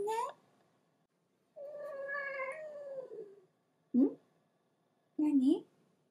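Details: Pet cat Hatch, held in its owner's arms indoors, wants to get down and grows angry: a short rising meow, then a long drawn-out meow sliding downward over about two seconds, followed by two brief sharp meows.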